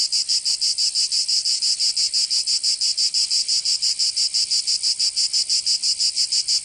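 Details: Cicadas in summer in Provence, southern France: a very regular, rasping high buzz, pulsed in crisp beats roughly three per second and as steady as a machine. No other animals or noises stand out.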